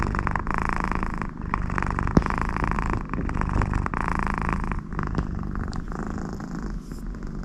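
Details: Connie, a very happy American Shorthair cat lying beside her owner, purrs in a steady low vibration while snoring-like sounds come through her nose, breaths cycling every second or so, one sharp click near the middle.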